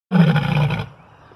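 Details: A male lion, put in a small cage, lets out one deep, rough roar that lasts under a second and then cuts off.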